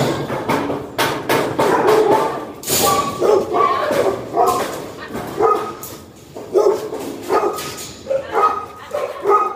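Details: Golden retrievers, described as aggressive when their food bowls are picked up, barking indoors; short harmonic barks repeat irregularly across the clip, mixed with thumps, clatter and a person's speech.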